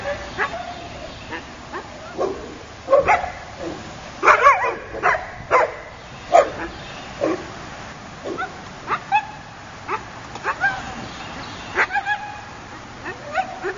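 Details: Akita puppy named Sparticus giving short, high yips and small barks in irregular bursts, roughly a dozen over fourteen seconds, some with a whiny rising edge, against a quiet indoor background.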